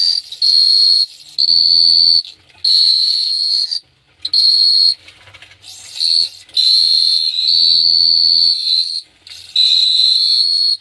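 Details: High, shrill cricket trill at night in Phteah Prey, delivered in about seven bursts lasting one to two seconds each, separated by brief pauses, with a faint low hum in places.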